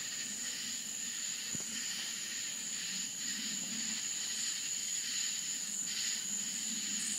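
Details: Crickets chirp together at night in rural Florida countryside, a dense high shimmer with one steady, piercing high tone above.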